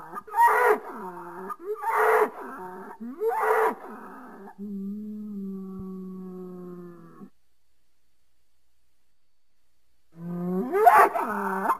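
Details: Three short, harsh bellows from a bull in quick succession, then a long, flat, low moo held for nearly three seconds, silence, and finally another rough bellow.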